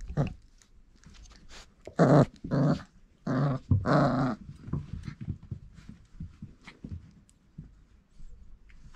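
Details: Irish Setter puppy litter at four weeks old, offspring of Grit and Cain, giving a run of loud, rasping growl bursts in quick succession, then softer scuffling and small grunts.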